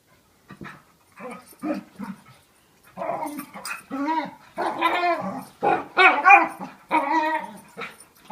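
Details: Two pet dogs play fighting, a year-old of about 40 lbs and a 95-lb five-year-old; quiet scattered grunts give way to a rapid run of loud, warbling growl-whines, ending near continuous.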